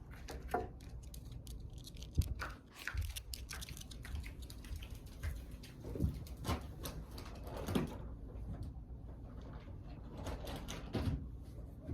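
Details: Indoor rustling, tapping and patter of handling with a low background rumble, and no animal voice.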